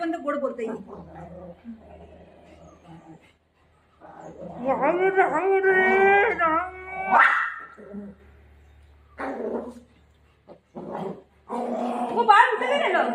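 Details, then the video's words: Golden Retriever named Milo playing with mom at home; drawn-out, wavering whining vocalizations with rising and falling pitch, plus short yelps, mixed with a woman talking throughout. "cute golden retriever dog playing with mom"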